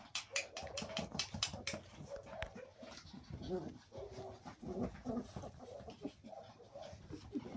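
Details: Cairn terriers during evening play give short, sharp barks mixed with higher whines and yelps.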